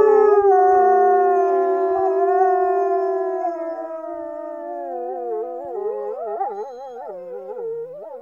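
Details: Norwegian wolves hold long, steady, slightly falling howls together, then the chorus breaks into quicker wavering, warbling notes that swoop up and down, fading lower near the end.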